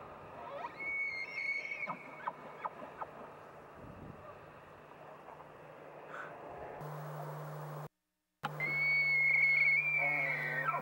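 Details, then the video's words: Bull elk bugles in mating season, with a thin high whistle early on, a brief break, then a second loud sustained whistled bugle against a steady low hum and background noise. "Bugles, Barks, Grunts and More"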